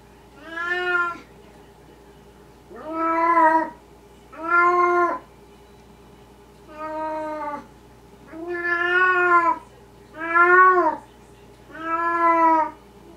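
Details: A Maine Coon kitten and a Russian Siberian kitten give a series of drawn-out, wavering meows, one every couple of seconds.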